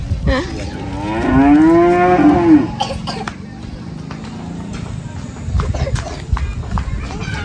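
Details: Cattle at a mosque in a housing complex in Indonesia awaiting Eid al-Adha sacrifice in 2023: one strained, rising-then-falling moo of about a second and a half, followed by crowd noise, clatter and faint music.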